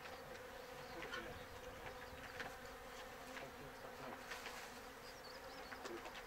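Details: Japanese honey bees in an open-air colony that has grown over two months and holds several queen cells while preparing to swarm: a steady low hum of many wingbeats with a crackly, rustling texture throughout, and no clear other sounds.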